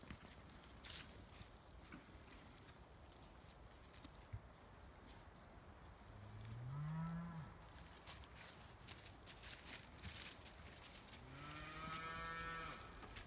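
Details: Highland cattle, a Scottish breed raised on a farm in Finland, moo in a forest: a low deep moo midway and a longer moo near the end, between soft rustling and occasional clicks.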